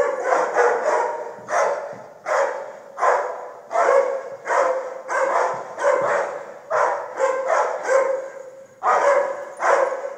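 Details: A dog barking in steady short bursts, roughly one bark every second across about ten seconds, each bark harsh and mid-pitched with some quicker doubled barks in places; no other clear sounds.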